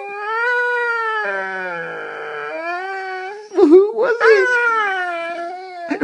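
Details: Female Saluki kept as a pet, complaining about her day in a long, sustained, moaning howl that wavers slightly, then breaks into rougher, broken yowls before steadying again, while a person speaks over part of it.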